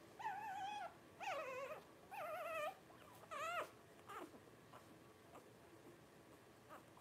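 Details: Newborn Blenheim Cavalier King Charles Spaniel puppies, 12 days old, from Paris's first litter of five: four steady, harmonic whines about one per second, ending with a rising-falling squeal, then softer whimpers fading into quiet.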